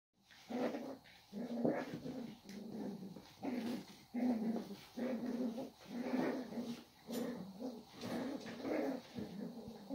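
Cavalier King Charles Spaniel puppies growl in short, rough bursts while play-fighting.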